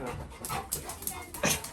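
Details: Labrador Retriever puppy named Little John, excited as the family members return home; short breathy bursts of panting and whimpering repeat in quick succession, with faint human voices in the background.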